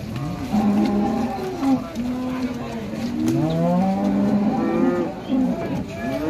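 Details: Jumbo Limousin cattle at a livestock farm in Ampel, Boyolali, Central Java, Indonesia, on the slopes of Mount Merbabu, giving repeated low, droning moos with shifting pitch that overlap one another, with background voices and farm noise throughout.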